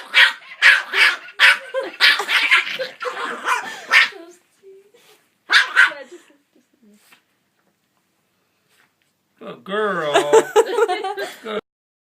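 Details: Puppy reacting to a singing Santa toy dog: a rapid run of loud, sharp barks for about four seconds, then quiet, then a tonal, warbling jingle from the toy near the end.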